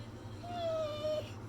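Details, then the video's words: Zeusy, a pet Pit Bull, "talking" back to its owner in displeasure: a drawn-out tonal whine held steady for most of a second, then a short second whine at the same pitch, with a low room hum beneath. "Talking Pitbull Goes Off On Dad When He Doesn't Like What He Hears!"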